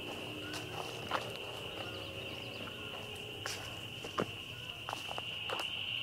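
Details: A really loud bunch of spring peepers calling together, their high peeps merging into a steady shrill ringing tone, with scattered footstep-like clicks and rustles over it.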